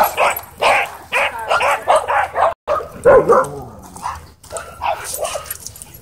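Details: Dog at a dog park pinned down by an aggressive husky: rapid run of harsh yelping bursts about every half second, then a thin rising whine midway and scattered lower cries trailing off.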